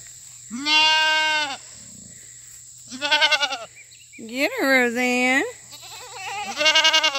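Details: Several loud fainting goats, newcomers among them, calling on a farm treat day with fresh cut grass: a run of long nasal bleats, some steady, others quavering and bubbling, following one another with short pauses.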